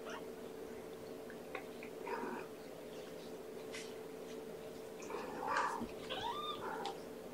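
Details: Young kitten named Amber, one of five Infinity Kittens born April 14th to mother cat Gamora, during a bottle-feeding breakfast indoors: short, rising-and-falling mews near 5.5 to 7 seconds after an earlier brief cry, over a steady room hum and small clicks.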